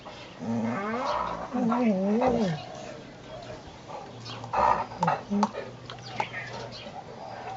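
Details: Great Dane puppy Brutus, eleven months old, pestering the dogs Lucky and Piko while Lucy watches; wavering, rising-and-falling whiny vocal swoops in the first half, then scattered short yelps and a low steady hum.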